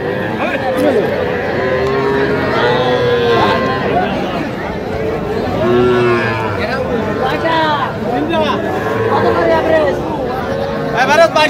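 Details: Cattle lowing at a livestock market in Madaripur, Bangladesh, on 9 August 2025, where farmers buy small bulls and heifer calves. A low, drawn-out moo swells around the middle, buried under constant crowd chatter and bargaining voices.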